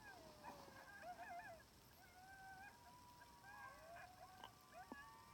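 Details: Timber wolves about 700 yards away in Wrangell-St Elias National Park, southeastern Alaska, September 2018, recorded by phone through a spotting scope. Scattered short yips and quavering cries are followed by thinner, drawn-out howls that rise and fall over a faint background hiss.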